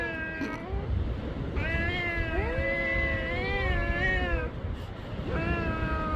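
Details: Black cat on meeting another, a sustained wavering yowl lasting about three seconds with pitch bending up and down, preceded and followed by shorter moaning meows, low background rumble throughout.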